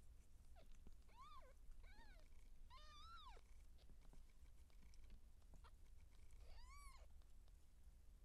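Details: Siamese cat, seal point, in labour while kittens are being born: a burst of three or four quick rising-falling mews, a pause with faint clicks, then one more long arched mew.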